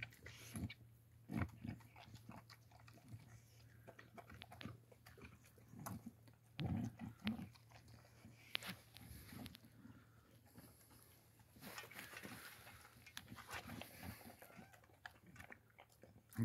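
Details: Boxer dog named Makica being fed indoors, with irregular crunching and biting bursts of chewing over a steady low hum. Short pauses fall between the bites, and a person speaks briefly.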